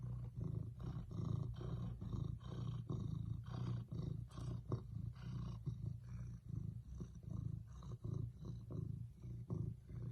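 A domestic cat purrs steadily, a deep, low rumble pulsing with each breath.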